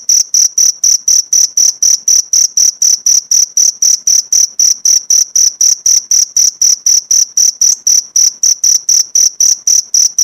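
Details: Cricket chirping, prepared as a master recording for training pleci (white-eye) songbirds, with 1–2 minute pauses: steady, shrill, high pulses repeated about four times per second in a very even rhythm, with no other sounds.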